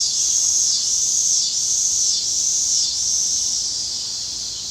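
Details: Cicadas in Illinois give a steady, high, hissing buzz that dips briefly about every second.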